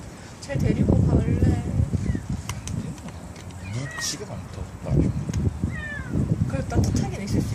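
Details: Stray kittens, a litter of four born to a young white female cat in a residential area near a bus terminus and co-raised by a black aunt cat; thin rising-then-falling mews come in short bursts over low rumbling background and human voices.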